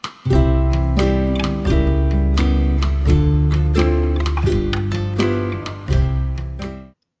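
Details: Strummed acoustic guitar chords ring out with no animal sound at all. Only the music is heard.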